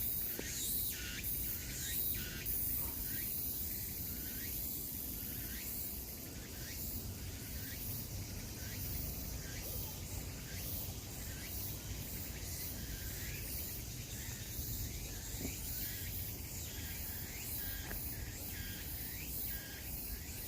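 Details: Cicadas in a forest fill the air with a dense, shrill buzzing drone broken into rapid repeated pulses.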